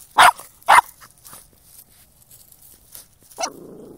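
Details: Spyke the dog, hunting moles, lets out two quick loud barks in succession, then a softer yelp followed by a low whine, over a quiet outdoor background.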